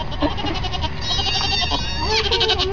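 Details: Newborn kid goats give wavering, nasal bleats that bend up and down, closely spaced, while a woman speaks affectionately nearby.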